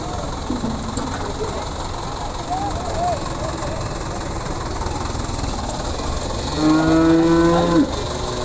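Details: Simmental cattle at the Pasar Pon cattle market in Ambarawa, Indonesia: one long low steady moo late in the clip, with faint higher calls earlier, over constant crowd and engine rumble.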